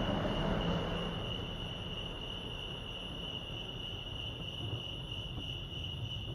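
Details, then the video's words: Lake Arrowhead, California crickets sing a constant, piercing high trill; a louder, broad whooshing noise fills the first second, then eases into a steady low rumble behind the chirping. "crickets chirping"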